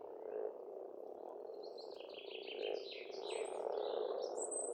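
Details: Frogs calling in spring at a rural pond in Estonia: a dense, continuous low croaking chorus, with birds singing in high, quick repeated phrases above it.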